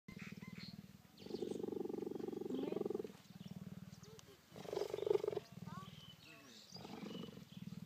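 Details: A cheetah in a park outside Johannesburg, South Africa, cuddling up and purring hard in September 2014: a continuous rough throbbing purr in long bouts broken by short pauses, with faint human voices in the background.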